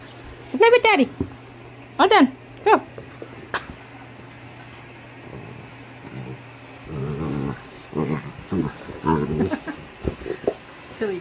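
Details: Yellow Labrador Retriever puppy at play, happily grunting: a few high, rising-and-falling squeaky notes early on, then a run of low, rumbling, pulsed grunts in short bouts, with a human voice also present.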